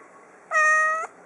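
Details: One clear, steady meow about half a second long from a small three-year-old female cat playing fetch, held at an even pitch before stopping sharply, with quiet room hiss around it.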